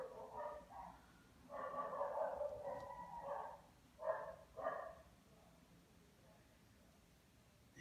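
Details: Lhasa Apso dog, said to be very lazy, giving soft nasal whines and grumbles in a long drawn-out stretch then two short yelps, over quiet room noise.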